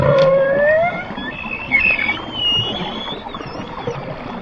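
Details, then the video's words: Orcas hunting sunfish, making clicking sounds, give a rising tonal whistle followed by higher, sweeping squeals and harmonic calls underwater. "Orca whales hunting sunfish. Making clicking sounds."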